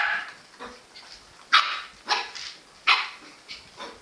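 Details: Jack Russell Terrier giving a few short, sharp barks spaced irregularly about half a second to a second apart, with softer yips and whines between them in a quiet room.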